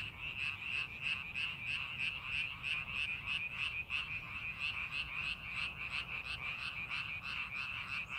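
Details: Frogs calling in rice paddies being prepared for farming, a dense chorus of rapid, pulsed croaks around three per second, overlapping voices forming a steady rattling wall of sound with faint low rumble beneath.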